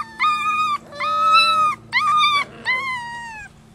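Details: Six-week-old pups from Holly's rescue litter at Lonely Hearts Animal Rescue: four loud, sustained whines, each held steady for roughly half a second to a second, with brief pauses between them and a soft hum behind.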